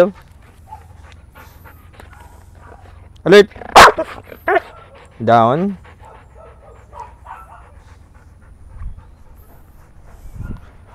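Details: Belgian Malinois in the Philippines during a training session: a few loud, sharp barks burst out around the middle, one after another, between a handler's calm spoken commands such as "sit", "come on" and "calm down".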